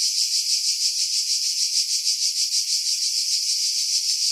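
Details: Cicadas in pines at Pefkos Bay on Skiros Island, Greece, in July 2018, producing a bright, piercing buzz that swells and dips about three times per second; wind buffeting removed by filtering.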